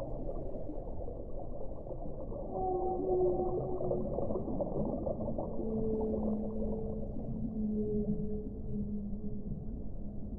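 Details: Overlapping whale moans, long and gently wavering, some held high and others lower, follow one another through the recording against a dense, rushing underwater noise.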